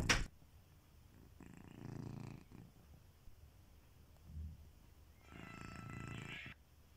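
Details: Kitiboy, a domestic pet cat, snoring while asleep: two soft, low rumbling breaths about four seconds apart, each lasting roughly a second, after a sharp click at the start, in a quiet room.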